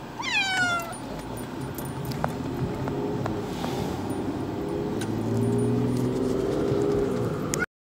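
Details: Floki, a male cat heading to the vet for nail trimming and unhappy, gives one sharp falling meow at the start, followed by steady car engine rumble and road noise for the rest.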